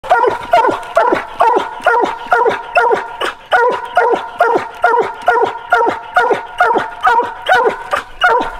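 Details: Black hunting dog treeing while coon hunting: loud steady barks, roughly two per second, each sharp and slightly falling, repeated without pause throughout.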